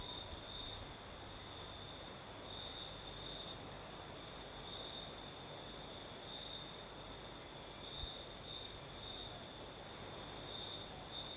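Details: Crimean crickets at night, south coast with a nocturnal breeze: an unbroken shrill trill on a single high note, swelling in short brighter pulses, with a quiet wash of low ambient noise and one soft knock.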